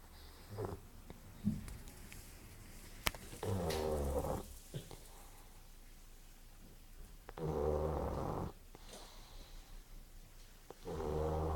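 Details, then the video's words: A pug snoring while napping; low rumbling snores come in bursts around 3.5 to 4.5, 7.5 to 8.5 and 10.8 seconds onward, each a buzzy layered drone, with quieter breathy sounds and clicks between them. "The Snoring Pug"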